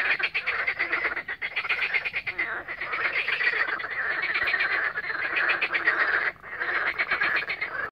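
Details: Frog chorus croaking on the Lake Balaton shore at Siófok-Aranypart, Hungary, recorded on 16 May 2021 with a mobile phone; a dense, continuous rattling croak from many frogs, briefly dropping near the end before resuming.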